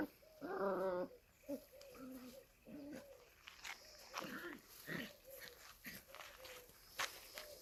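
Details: Kangal puppies at play: a harmonic yelp near the start, then a string of thin, high whines and short squeals repeated roughly every second, with faint rustling between them.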